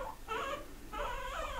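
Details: Pet pigs living indoors squeak back when teased about wanting grass. Two bursts of harmonic squealing, the second longer, wavering and rising.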